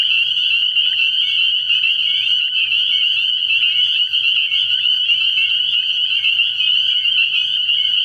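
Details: Night chorus of spring peepers at a pond early in the year: countless piercing high peeps blend into a steady, shimmering wall of sound with no pauses, over a faint low droning hum.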